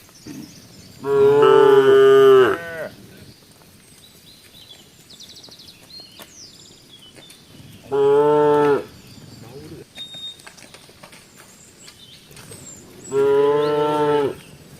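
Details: Tame village cows in Embooh: three loud, rich, harmonic moos, the first drawn out nearly two seconds, the next two shorter, separated by quiet gaps with faint rustling.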